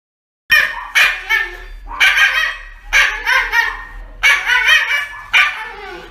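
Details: Pet dog reacting while being given an injection: a series of sharp, harmonic yelps and cries that come in bursts about every second, rising and falling in pitch, with a person's voice nearby.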